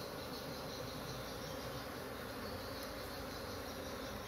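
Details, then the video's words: Honey bees of a kept colony in an agitated, noisy state, giving an even, continuous swarm hum of many overlapping wingbeats with no pauses. "Lebah Maduku Lagi Ribut"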